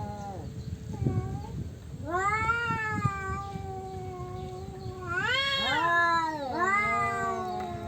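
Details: Male domestic cats squaring off over territory, trading drawn-out harmonic yowls: a lower wail, then rising, wavering howls that swell and bend downward, one voice overlapping another in a tense standoff.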